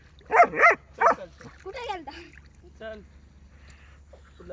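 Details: German Shepherd named Rocky, out in a village, gives three sharp, loud barks in quick succession, then a human voice talks over softer yips and whines.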